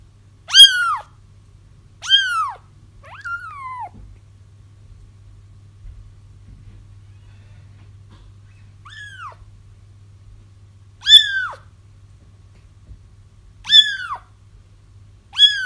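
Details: Kitten cries for trapping a feral mother whose litter has been found; bursts of high, falling mews in pairs and singles separated by gaps of several seconds, some quieter, over a steady low hum.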